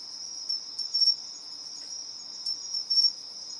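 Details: A pair of pine crickets competing in alternating calls; two quick sharp chirp bursts a couple of seconds apart stand out from a continuous high-pitched trill.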